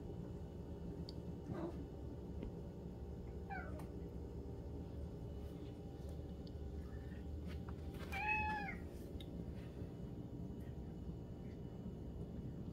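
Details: Kittens being served breakfast in a backyard, captured by a backyard camera: three rising-falling harmonic meows, two short ones early and a longer, louder one near the end, over a steady low hum.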